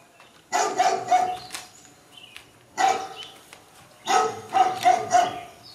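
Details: Four-week-old Bodie/Mattie puppies just woken in their pen before dinner, an animal-noise CD playing nearby. Three clusters of squeaky yips and thin barks, with short quiet gaps between bursts.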